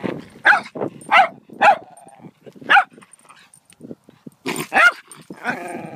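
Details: Dog yelping and barking in uneven bursts, with whimpers and a short whine between the louder calls.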